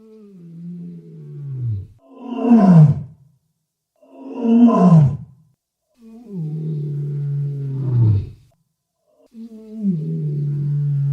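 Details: Walrus sounds: deep drawn-out groans sliding downward alternating with louder, rougher roaring bursts, five calls spaced about two seconds apart, no other sounds.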